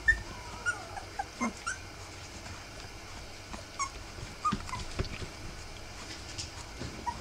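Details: Three-week-old Rough Collie puppies whimpering: short, high, squeaky peeps, some slightly falling in pitch, scattered irregularly every second or so, over soft rustling and handling noises.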